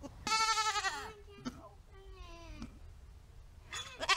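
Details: Nigerian Dwarf goats, two does kept in a backyard over summer, giving loud wavering bleats with strong harmonics, a long quivering one then shorter rising-falling cries, a child's voice faintly nearby.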